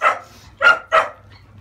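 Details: A 30-day-old female French Bulldog puppy gives three sharp yelps during a scurf-removing bath. One lone yelp is followed after a pause by a quick pair.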